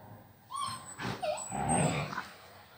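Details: Gray wolf-coloured agouti Husky during a play fight with a female puppy: a short clip of rising and falling whining yelps, a few pitched cries in under three seconds, fairly clear with little background.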